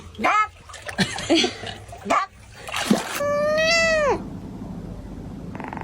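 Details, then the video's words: A domestic cat gives one drawn-out, level meow that drops at the end, after a stretch of scuffling noise and muffled voices indoors. "17 Elegant and Adorably Funny Cat Sounds You Need to Hear"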